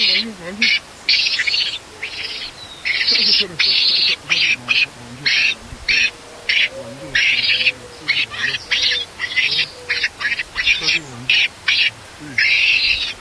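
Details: Baby monkey left alone by its mother screams loudly and angrily, almost nonstop: harsh, shrill, noisy bursts in rapid succession, with faint lower voices underneath.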